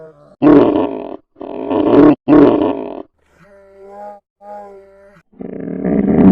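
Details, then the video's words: Polar bear voice: three loud, rough, throaty growls in the first three seconds, then two softer tonal moans with a steady low pitch and faint overtones, ending with another harsh growl. "FUNNY POLAR BEAR NATURAL SOUNDS"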